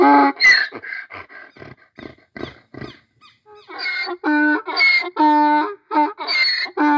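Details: Donkey braying in the Brazilian sertão: a run of short wheezy gasping notes, then loud harsh see-sawing honks alternating rapidly between high and low tones over several seconds.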